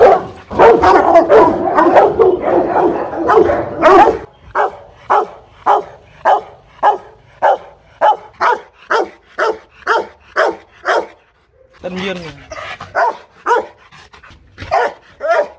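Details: Aggressive Rottweiler from a Hanoi kennel: a thick burst of overlapping barks for four seconds, then steady single barks roughly twice a second, a brief pause and a few more.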